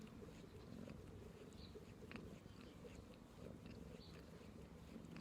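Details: Low, continuous purr of a pet cat, a soft throbbing rumble without breaks, with occasional small clicks and brushing noises on top.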